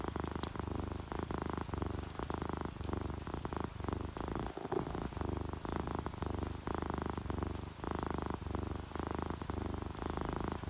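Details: Relaxed orange tabby and calico cats purring as they sleep; a continuous low vibrating rumble pulsing about once a second, fairly steady in loudness, with soft rain patter and a few faint ticks in the background.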